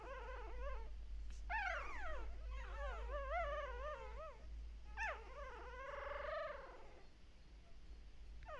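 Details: Puppies at a Shiba Inu and Samoyed breeder in the Netherlands calling while their mother is briefly away, a chorus of wavering, sliding high whines and howl-like cries overlapping continuously, steady low hum behind.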